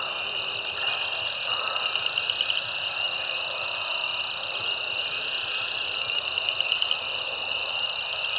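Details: A frog chorus recorded March 10, 2024 at Caddo Lake National Wildlife Refuge, eastern Texas: spring peepers, Cajun chorus frogs, southern leopard and pickerel frogs call together in a dense, high-pitched chorus of overlapping trills and chirps.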